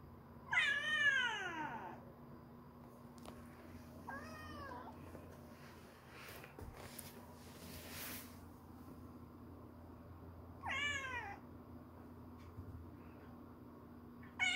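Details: Stray kitten, offspring of a street cat named Kkandol, calling for its mother: three loud, high, harmonic-rich meows, each falling in pitch and about a second long, spaced several seconds apart over a steady low hum.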